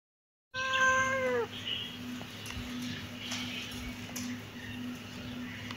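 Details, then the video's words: Kitten giving one clear, high meow that slides slightly downward over about a second, followed by quiet background hiss and a low steady hum. "cute kitten meowing|kittens meowing sound effect"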